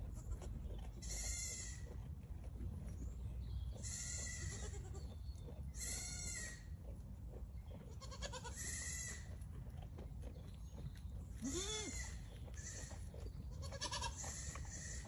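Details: Goat bleating repeatedly, roughly every two seconds, in a series of high, wavering, nasal cries. Some rise or fall in pitch, and one near the end slides sharply upward. Constant low rumble underneath.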